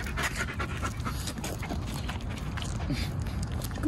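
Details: A 13-month-old female Irish Wolfhound in Middletown, Rhode Island, during an obedience training session, described as a little nervous of her surroundings; steady breathy panting over low rumbling background noise, with faint human speech.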